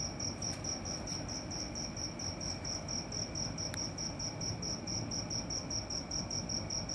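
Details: A cricket calling at night with regular shrill pulses, several per second, and one brief click partway through over faint background noise.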